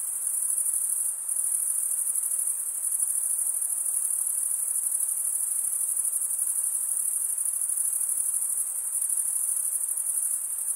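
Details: Steady high-pitched cricket stridulation, a relentless ringing trill of tiny rapid pulses, with a very short dip early on and otherwise constant level throughout, soft hiss beneath.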